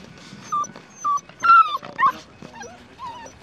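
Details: Six-week-old red tri female Australian Shepherd puppy at Fifteen Acre Farms in Oklahoma, recorded January 29, 2021: a few short high whines rising and falling, some with a sliding pitch, separated by brief pauses, with faint background noise.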